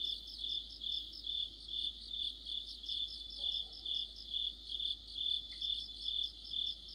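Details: High-pitched cricket chorus in autumn, many insects chirping together in rhythmic pulses a little over two per second, steady and even, with a quiet low rumble beneath.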